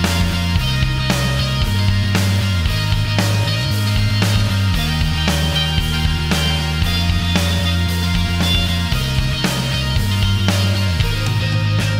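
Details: Loud driving rock music with heavy guitar and drums plays throughout; no animal is heard.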